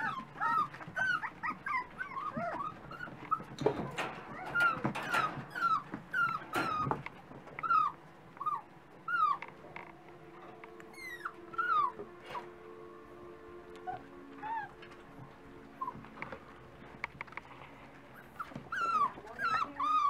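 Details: A litter of Dachshund puppies at breakfast time whining together, a steady stream of high, bending whimpers and squeaks, busiest in the first seven seconds, with faint hum and scattered clicks.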